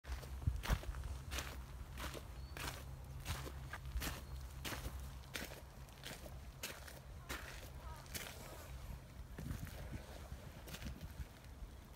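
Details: Steady footsteps outdoors after rain, with a low constant hum and faint distant voices; no animal calls are heard.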